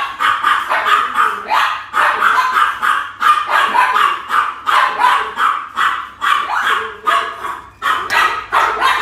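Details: Very small female Pomeranian-Chihuahua mix puppy with a blue collar, barking steadily in a continuous run of sharp, high yapping barks roughly every half second throughout, with no other sounds.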